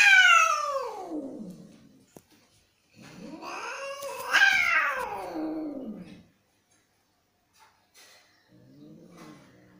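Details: Angry domestic cats fighting: a long, harsh yowl that slides steeply downward over two seconds, then a second wail that rises and falls, followed by faint low moaning.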